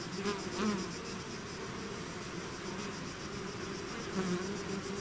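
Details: Bee swarm leaving its hive, a dense steady buzz with a low hum band and overtones, brief louder passes of single bees near the start and near the end.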